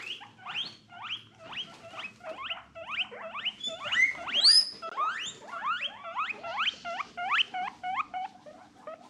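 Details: A normally quiet female guinea pig in a loud, mischievous mood gives a rapid run of short, high, harmonic squeaks, several each second, possibly excited soft wheeking.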